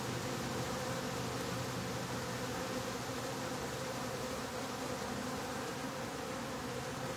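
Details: Honey bee colony in a top bar hive during closing of the bottom board: a continuous, thick buzzing hum that holds its level for the whole stretch, with a faint rustling texture.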